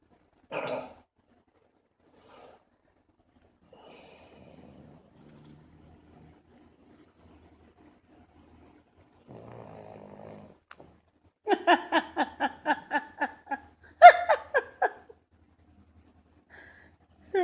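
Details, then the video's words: Buddy, a dog, snoring indoors: faint low rasping breaths, then a run of rapid pulsed snorts in quick succession, with a short human voice at the start and end. "Snoring Dog Snoring King"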